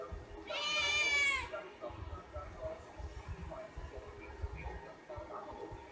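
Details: Domestic cat giving one loud, drawn-out meow of about a second that rises then falls, with rich harmonics. Afterwards only faint low background rumble and soft indistinct noises.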